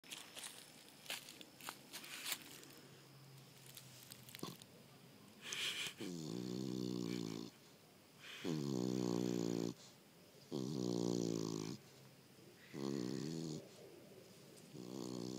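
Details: Lucy, a fat Beagle, snoring: after some light rustling and clicks, loud rasping harmonic snores arrive in bursts about every two seconds, each lasting roughly a second with quiet breaths between.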